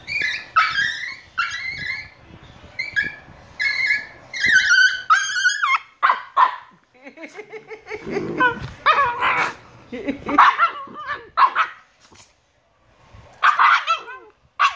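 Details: Two Shiba Inu puppies, 118 days old, giving high whining yelps and squeaky vocalisations in quick bursts, mixed with short barks and human speech in the background.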